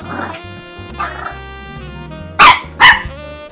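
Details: French Bulldog puppy Cosette barking at her Christmas stocking on her first Christmas: soft, muffled yaps at first, then two loud, sharp barks near the end, with background music throughout.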